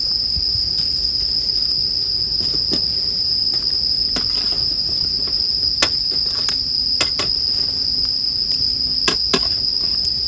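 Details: Bell crickets sustain a bright, even high-pitched ringing chorus. Sharp crackles and snaps from a bonfire punctuate it irregularly, roughly every second, over a low rumble.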